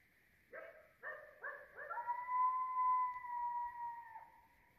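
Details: A pack of coyotes howls around 3 am in a suburban neighbourhood, just outside a bedroom window: a few short rising yips, then one long steady howl that drops away at the end.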